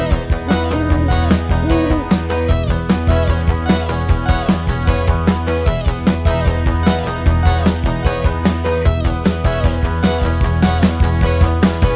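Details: Loud strummed guitar music with a steady beat fills the whole stretch, and no animal is heard.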